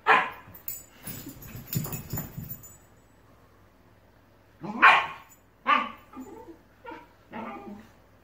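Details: Shiba Inus quarrelling over a ball indoors: a muffled, scuffling stretch of grumbles, then loud sharp barks and shorter yips spaced about a second apart.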